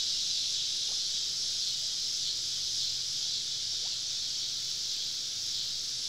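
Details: Southern woodland cicadas on a summer evening, recorded at a camp with the insects on all sides: a steady shrill electric hiss, even in loudness throughout, with a faint low hum beneath.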